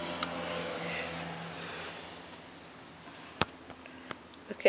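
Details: Tabby cat, called fierce with its tail going, sitting behind a fly screen; a drawn-out, soft meowing cry fills the first two seconds while a woman talks, followed by a few sharp clicks and taps.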